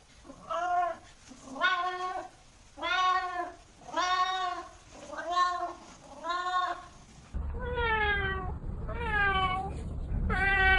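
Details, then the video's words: Cat repeating plaintive meows roughly once a second over a low background hum, then the setting changes to a steadier noise with three more arching meows. "Cats Meow 10 Minutes of Cats Making Meow Sounds"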